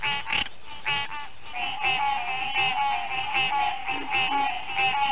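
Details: Green tree frog. Green tree frogs call together, their nasal, buzzy honks stacking into a steady pulsing chorus. Individual notes repeat roughly once a second, but so many callers overlap that the sound barely breaks.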